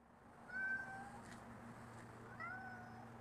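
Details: Rocky, a cat in a backyard, recorded December 16, 2010: two brief meows about two seconds apart, each with a slight falling tail, against a constant low rumble.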